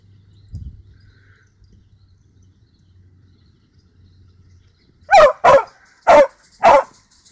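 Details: A female Basenji mix, a sighthound rescue just under 35 lbs, gives four sharp, loud barks in quick succession after a quiet stretch while chasing a squirrel she cornered up a tree in a dog park.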